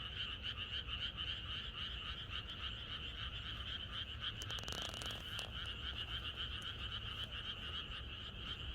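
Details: A countryside frog chorus on a night before rain: fast overlapping croaks pulse continuously, briefly overlaid near the middle by a short burst of crackling noise, with a low background rumble.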